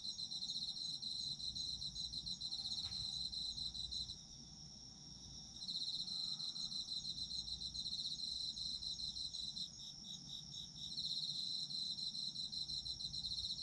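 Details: Autumn insects calling together, a shrill rapid trill that drops out twice for about a second each before returning, over quiet low background noise.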